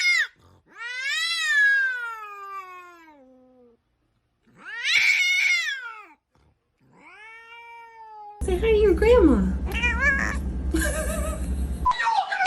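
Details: Domestic cat in a funny cat meme compilation giving three drawn-out, wavering meows, the first long and sliding downward in pitch, the later ones shorter, followed by a loud, cluttered stretch of mixed noise and further cat calls.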